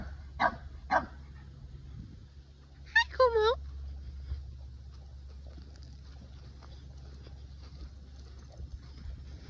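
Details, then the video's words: Boston Terrier, upset that a Keeshond took his favourite ball, gives two short barks and then a quick wavering, whining run of notes, over a constant low indoor hum. "Hilarious Boston Terrier Barks At Keeshond Because He Took His Favorite Ball!"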